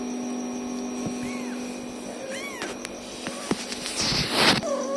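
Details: Little kittens keep crying until their protective mother comes: several brief, thin, arching mews in quick succession, then a louder rustling burst and a final short cry, over a low steady hum.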